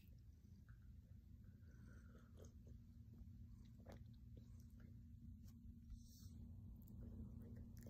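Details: Baji, a silver grey male cat, purring while kneading a comfy blanket on his owner's lap on a calm day; a steady, low, throbbing rumble runs throughout, with a few faint soft clicks and rustles over it.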